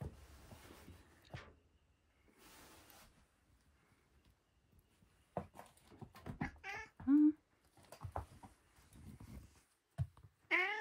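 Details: Pet cat around its dinner, giving several short meows in the second half, some rising then falling, with quiet gaps and faint indoor handling noises earlier.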